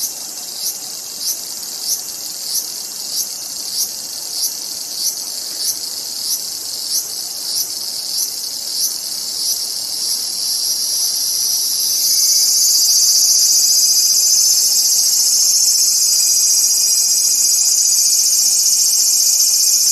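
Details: Cicada starting with short rhythmic pulses roughly twice a second, then building into a loud, unbroken high-pitched drone that holds to the end.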